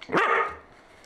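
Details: Pet Whippet indoors, a single short bark, sharp at the start and then fading over about half a second, with a faint hum behind.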